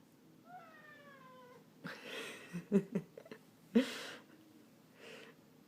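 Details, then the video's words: Ragdoll cat giving a single drawn-out meow that slides downward over about a second, followed by clattering knocks and bumps nearby. "How Many Times Does Ragdoll Cat Charlie Meow in a Minute?"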